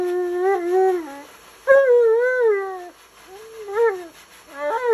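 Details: Tonka, an Alaskan Malamute, yells and complains while getting a bath he hates, in a small indoor room. Drawn-out, wavering howl-like moans with bent pitch contours, four separate vocal bursts rising and falling, some sounding almost like spoken words.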